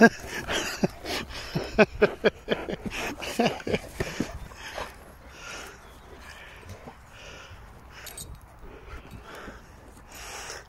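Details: Dogs at play, a blue blood bulldog, a German Shepherd and a Presa Canario tugging at a bite pillow. Rough, broadband vocal bursts come thick and uneven for about four seconds, then fade to quieter scuffling. A person's voice is heard between them.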